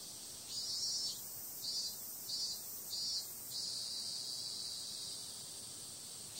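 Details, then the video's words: High-pitched cicada chorus at night in summer, periodical cicadas among the callers: four rhythmic pulsing surges roughly every half second, followed by a continuous steady shrill buzz. "Cicada sound"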